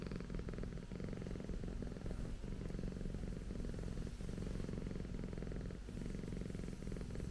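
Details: Purring of a Persian cat called Okayu, kept as a pet alongside a dog; continuous deep throbbing rumble with regular faint breathing breaks, close and steady throughout.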